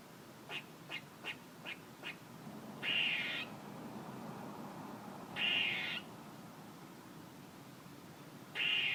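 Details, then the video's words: Squirrel calling: a run of five short, sharp chucks in quick succession, followed by three drawn-out, buzzy, nasal calls spaced about two and a half seconds apart. "A squirrel making noises"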